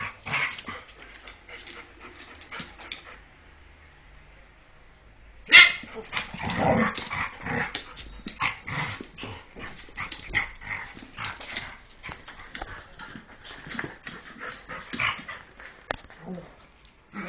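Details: Jack Russell Terrier and Airedale Terrier playing together indoors: a quiet stretch, then a sudden loud yelp followed by a rough burst of growls, snorts, grunts and short whimpers that continue irregularly to the end.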